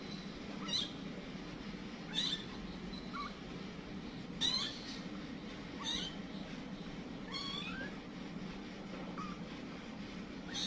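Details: Village cat Kitty and her scattered kittens, the mother panicking: about seven thin, high mews, each rising then falling, spaced irregularly across ten seconds over a steady low hum.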